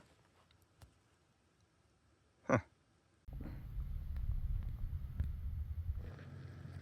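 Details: A quiet stretch with a faint click and one short thump, then a steady low rumble of wind or handling noise; no animal calls.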